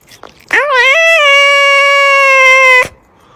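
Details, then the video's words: Domestic cat giving a single long meow that starts with a quick rising scoop, then holds steady and even for about two seconds before stopping abruptly, recorded indoors. "sounds of cat's meow meow"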